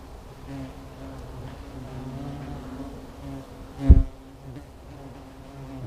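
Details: Hornets at a nest beginning to come out and circle, a steady low droning buzz with a sharp bump partway through.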